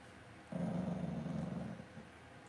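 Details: A Cavalier King Charles Spaniel puppy in a home puppy pen at Red Barn Cavaliers gives a low, throbbing growl of just over a second, with steady indoor background hum.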